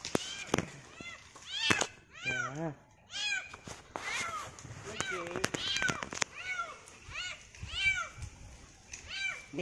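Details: Kitten stuck high in a very tall, thin tree during a risky rescue, giving a run of arched, wavering meows in quick succession, some rising then falling, with voices mixed in between the cries.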